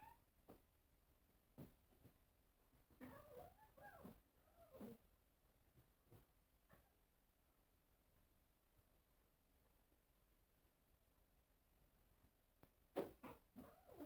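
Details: Cats at a mirror: scattered faint clicks, then a short burst of wavering meows, a long quiet stretch, and a sharp cluster of loud calls at the end.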